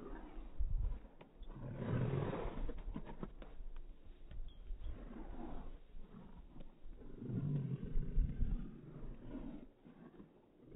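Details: Irish Wolfhounds Sunny and Naomy playing in newly fallen snow give long, throaty roaring growls: one sustained rumble early on, a quieter stretch, then a second rough growl swelling later, with scuffling noise throughout.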